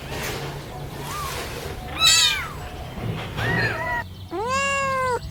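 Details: Kittens crawling and crying for mother's milk; a few scattered mews, the last one long, clear and arched, over a soft background hum.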